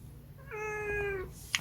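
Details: Munchkin cat indoors giving a single drawn-out meow, about three-quarters of a second long, steady and tonal with a rich set of harmonics, ending in a soft click; quiet room hum underneath.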